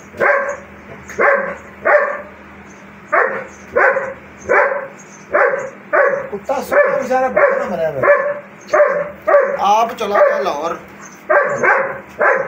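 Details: German Shepherd giving a long run of steady, deep barks roughly every half second to one second, with a person's voice and sliding sounds heard in the middle stretch.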